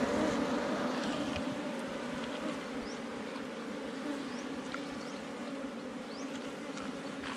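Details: Steady buzzing of honey bees at a honey-filled hive under rocks in the forest, a constant two-toned drone that softens slightly over the seconds, with faint background rustle.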